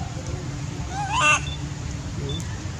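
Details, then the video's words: Sweet Pea, a baby male monkey, crying loudly in anger at his mother: one short, sharp harmonic squeal that climbs and peaks abruptly near the middle, set against steady low-pitched background rumble. "Baby monkey Sweet pea crying loudly cos he angry his mom"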